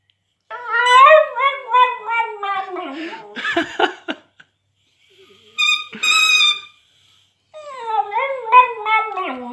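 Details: A female Cavalier King Charles Spaniel × West Highland White Terrier cross sings for the first time, in wavering, rising and falling howls with a yodelling, tuneful quality.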